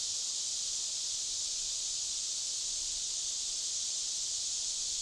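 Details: Cicadas deep within a forest fill the air with a steady, high-pitched buzzing drone that never pauses.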